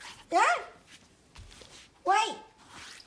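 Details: A Pomeranian indoors watching deer out the window gives two shrill, abrupt yapping barks nearly two seconds apart, each rising then falling quickly, over faint indoor murmurs and a quiet voice.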